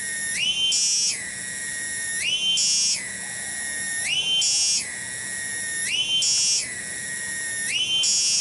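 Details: Tonggeret, a cicada, in a garden in Kampung Bunder, Desa Cibening, Bungursari, Indonesia. Its loud shrill drone cycles between a lower steady buzz and a raised, brighter surge, about every two seconds, five times in a row.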